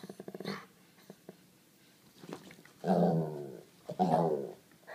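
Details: White Labrador Retriever, seven years old, female, complaining indoors to coax a pug into play: quiet clicks and shuffles, then two loud, grumbling moan-growls about a second apart.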